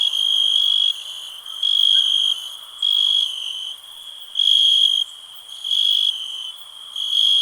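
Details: Continuous cricket trill, high and ringing, swelling into louder bursts about every second and a half while a quieter trill carries on underneath.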